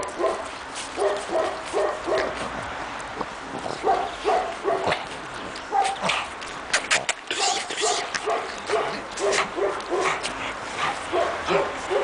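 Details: Young Pekingese puppies, 2.5 months old, out in the snow for the first time in Tallinn, Estonia, yipping steadily in short rhythmic bursts, with some sharp clicks and a quiet voice now and then.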